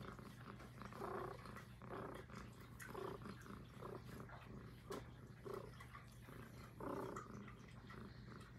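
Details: Highland Lynx cat Puff, a female, purring gently near the microphone, uneven breathy pulses about every second, some stronger than others, with a low hum in the background.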